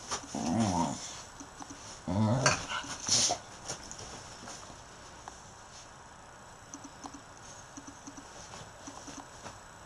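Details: A 7-week-old male Staffordshire Bull Terrier puppy growls and yelps in short, rough bursts while play fighting.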